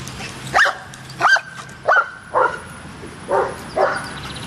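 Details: Barking at a dog park: six separate loud barks, about one every two-thirds of a second, each short and ringing, with a slight pause before the last pair.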